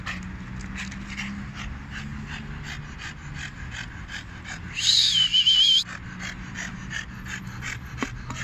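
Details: A 4-year-old French Bulldog goes crazy attacking a car tire, snorting and panting in quick, rough bursts, with one brief high-pitched squeal.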